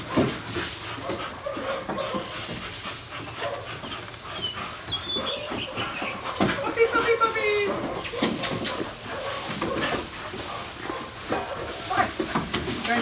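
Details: Fox red female puppies at play, with high squeaky whines and yelps and a run of rising, wavering whimpers around the middle. Scuffling thumps, human speech and background music are also heard.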